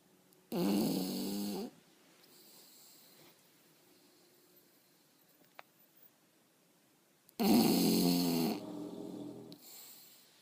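An English Bulldog snores in long, rattling, throaty breaths separated by several seconds of quiet.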